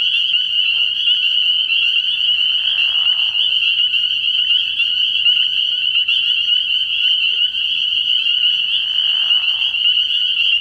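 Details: Many spring peepers calling together at night from a frog pond in early spring, forming a continuous piercing high-pitched peeping chorus; two short, softer breathy swells rise beneath it, near the start and near the end.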